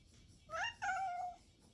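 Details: Pet cat staying close to the father until he goes out, meowing affectionately for attention; one drawn-out meow in two parts, a short rising note followed by a longer level wail, in a quiet indoor setting.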